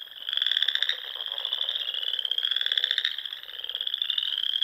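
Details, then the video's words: Frogs calling together at dusk beside the ponds of Nebraska's Sandhills in spring. A steady, high, vibrating trill carries through, with two louder buzzy stretches over the shimmering background chorus. "RELAXING SOUNDS OF FROGS"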